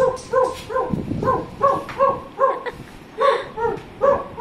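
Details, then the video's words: Cherry, a pet dog, reacting with excitement to a playback of his own earlier barking; bright, clipped yaps in quick series, more unevenly spaced, with a brief lull around the middle before the barking resumes. "See What Happens When He Hears Dog's Sound"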